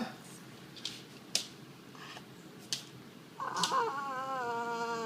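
A French Bulldog gives a drawn-out, nasal whining groan after a few sharp clicks.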